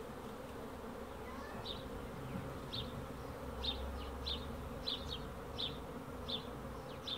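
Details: Honey bees hum in a smooth, unchanging drone while a bird adds short, high chirps about every half second after the opening moments.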